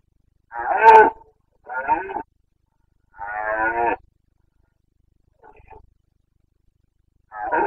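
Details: Carpathian stag of the red deer during the late-September 2022 rut in Bucovina's mountain forests, Romania: a series of rough, guttural roars, three strong bursts then a faint one and another starting, separated by short pauses.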